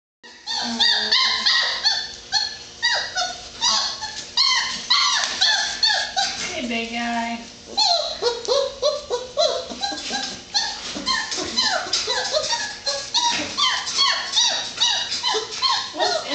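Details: Several 4-week-old Great Dane puppies, ready for bed and trying to get into their kennel, keep up a loud overlapping chorus of high, swooping whines and squeaky yelps indoors.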